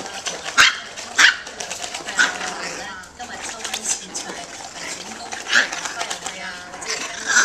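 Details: Tiny micro teacup poodles from Alabama, kept in Hong Kong, yap in short shrill bursts spaced irregularly, about five sharp barks over several seconds, over constant background chatter and household noise.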